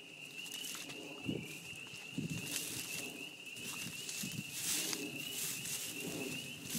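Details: At a beaver pond in spring, many spring peepers keep up a constant high-pitched ringing chorus while rustling, crackling noises and soft low thumps come and go.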